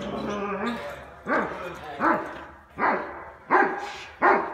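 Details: Cane Corso in personal protection work, barking: about five deep, harsh barks spaced roughly a second apart after a short stretch of background noise and a faint voice.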